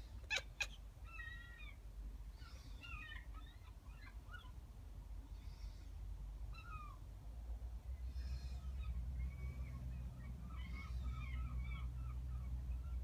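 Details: A kitten named Lucky chatters at seagulls with quick bursts of warbling, twittering chirps, several clustered together, over a low rumbling background that grows louder toward the end.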